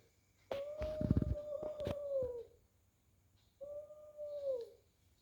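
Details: Fighting domestic cats indoors give a sustained tonal yowl lasting about two seconds, falling at the end, with sharp thumps and scuffles, then a second shorter wavering yowl after a pause.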